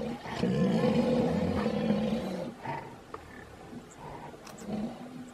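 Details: White rhinoceros bulls competing for a female in oestrus during mate guarding; a long, loud, low harmonic moan of about two and a half seconds, then softer, shorter groaning calls in a quiet outdoor setting.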